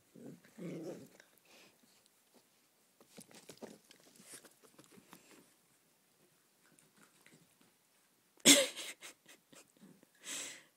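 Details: Jackson, a Yorkshire Terrier, at play with his new ball: a low rough growl at the start, scattered rustling and chewing noises, then one sharp loud bark near the end and a shorter, softer vocal burst after it.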